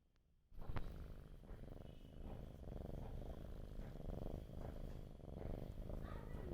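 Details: Domestic cat, asleep and hungry for food, purring: a steady low rumbling pulse that runs without a break after a brief silent start, loud and close throughout.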